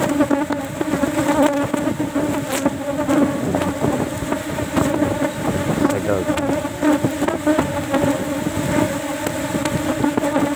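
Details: A colony of Asian honey bees kept in a cultivation box, disturbed while a single honey frame is harvested outside the flowering season; a continuous low buzzing swarm hum broken by scattered taps and clatter.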